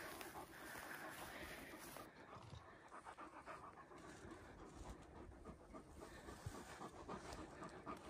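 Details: Irish Wolfhounds out on a countryside walk with their pack, reservoir, moorland and woodland trails. Fast, steady panting runs at roughly three and a half breaths a second, with a breathy hiss of wind and rustling underneath, louder at the start.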